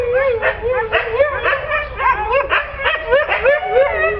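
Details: Pet Siberian Husky making rapid repeated yipping, whining calls, short bent rising-and-falling notes about three to four per second, with a voice mixed in.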